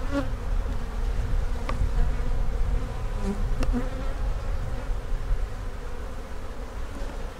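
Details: Honey bees buzzing at one of two backyard hives during an inspection in which queen cup cells were found; a steady droning hum with layered pitched bands, with heavy low rumble and a few brief clicks from handling.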